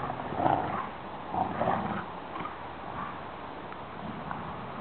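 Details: Rottweiler brother and sister play fighting with a rope growl in rough, guttural bursts, while a person calls encouragement.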